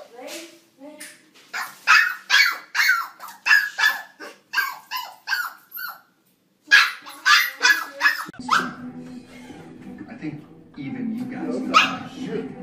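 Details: Mirror test with a dog yapping rapidly, a dense series of high, snappy barks about three per second, a brief pause, then more barks over music and a person talking.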